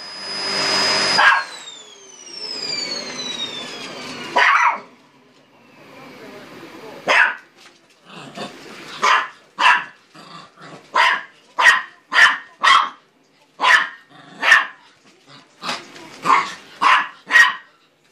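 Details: Dog fighting a vacuum cleaner at home; the machine's whine winds down in falling tones, then a rapid run of about fifteen sharp, yappy barks, close together, follows in near silence.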